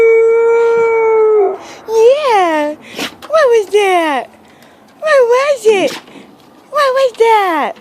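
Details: Aphrodite, a pet dog, howling after hearing sirens. A long steady tone gives way to a series of wavering, arched howls that rise and fall in pitch, about five in eight seconds, while a woman talks soothingly in between.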